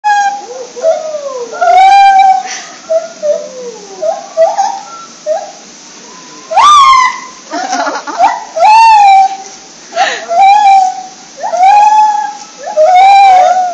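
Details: A gibbon at Ueno Zoo makes a great commotion, giving loud, wailing hoots that swoop up and down in quick, repeated bursts.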